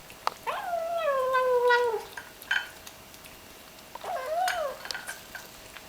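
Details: Small ginger kitten enjoying its food while eating a meal indoors, giving two drawn-out, whiny meow-like cries that start high and slide gently downward, the first about one and a half seconds long, with soft clicks between them.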